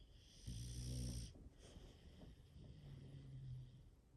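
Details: Sleeping English Bulldog, one of five kept at home, gives a loud buzzy snore on the inhale followed by a softer, lower-pitched rattling breath.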